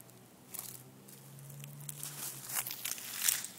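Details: Sharp crackles and crunching bursts dominate, like wood or debris being handled outdoors. A faint steady low hum runs underneath, but no distinct animal call stands out.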